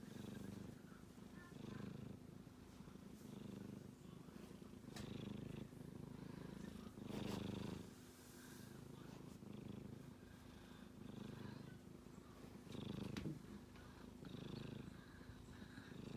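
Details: Sleeping kitten snoring: a steady low rumbling pulse rises and falls with each breath, growing louder around seven and thirteen seconds, with faint soft clicks and rustles in the room.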